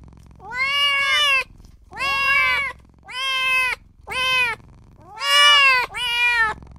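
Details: Newborn kitten repeatedly crying for its mother and owner: six insistent, bright meows in under seven seconds, several doubled with a quick upward break mid-call, nearly continuous with short gaps.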